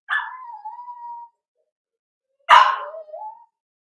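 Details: Four-week-old Cavalier King Charles Spaniel puppies indoors in a puppy pen, during socializing with other dogs and first tries of puppy mash; two drawn-out whimpers, the first a long wavering whine falling then holding steady, the second a sharp yelp sliding down into a whine.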